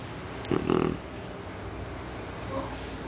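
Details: Mel, a female Shar Pei, deep asleep and snoring like an adult: one loud, rough, snorting snore lasting about half a second, followed by quiet room hum and a faint soft breath near the end.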